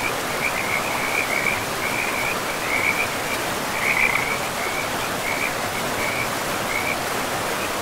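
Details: High pulsing frog trills sound beside a river in a pristine forest, rising in loud bursts near the middle and fading toward the end, with the dense hiss of flowing water throughout.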